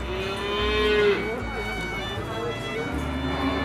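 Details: Young Simmental feeder bull bought for fattening, lowing once with a short, tonal, slightly falling moo early on, while background music plays steadily throughout.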